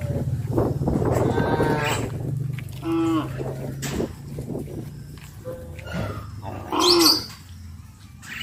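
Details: Cattle released to graze call their friends on the way to pasture: short harmonic lowing calls rise and fall over a steady low rumble, with brief sharp squeaks mixed in.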